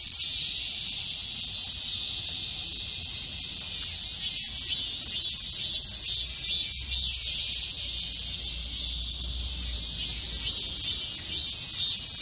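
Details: Midsummer cicada chorus producing a piercing, continuous high buzz, throbbing roughly twice per second, with a faint low rumble in the middle section beneath the insects.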